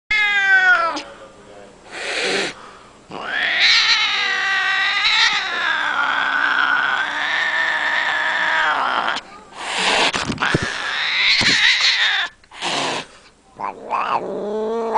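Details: Domestic cat giving long, loud, wavering yowls and meows that rise and fall in pitch, with a sustained drawn-out wail in the middle and shorter sharp cries near the end.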